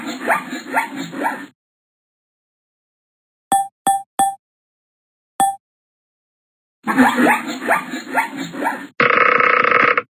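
A zebra gives a run of hoarse, barking brays, with a few short electronic beeps between them.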